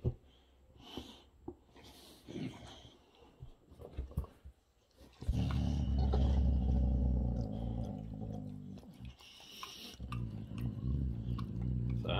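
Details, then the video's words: Big brother Rex, a Boxer, annoyed by little brother Sammie while enjoying a special treat indoors; after soft sniffs and chewing, a long, low, continuous rumbling growl rises and persists for several seconds. "Little Brother Sammie Irritates Big Brother Rex Enjoying His Special Treat."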